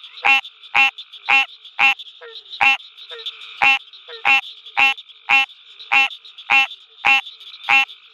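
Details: American green tree frog heard at night at the University of Mississippi Field Station, repeating clipped, honking quonks about every half second, some fourteen calls, with fainter frogs calling softly between them and a high buzzing chorus underneath.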